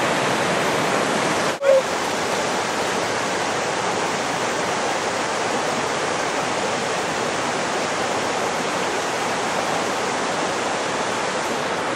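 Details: Loud rushing water from a fast cold mountain creek roars steadily, broken once by a brief thump near the start, with no animal voices.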